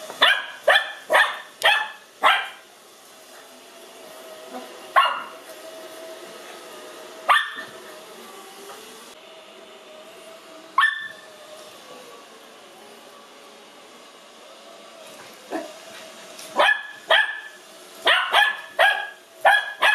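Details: A 5-month-old Lhasa Apso puppy, excited, afraid and curious on meeting a robot vacuum for the first time, gives bursts of sharp, high yapping barks over the vacuum's steady mechanical hum.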